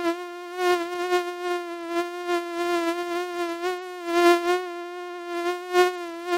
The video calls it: Mücken Sound und Beschreibung 🦟Mücken Sound 🔈Mückengeräusch